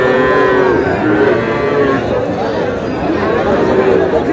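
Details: Young bull calves at a cattle market in Kushtia, Bangladesh, on 23 June, where a farmer is buying the smallest ones: overlapping harmonic moos and bellows, with crowd chatter and bargaining voices behind.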